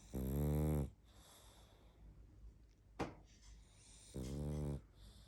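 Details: Sleeping pug Barney snoring: a loud, gravelly snore opens, a brief sharp click sounds near the middle, then a second rasping snore follows, with hushed breathing in between.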